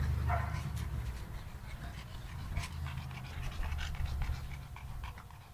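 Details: Domestic dog, from a kennel's Sarplaninac and Shar-Pei dogs, panting rapidly and steadily at about three to four breaths per second. Soft rasping breaths continue throughout, with faint clicks and a brief whimper-like tone near the start.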